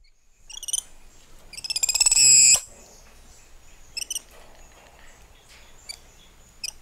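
A monkey gives high, thin chirps and one loud, buzzy trill that swells and then stops.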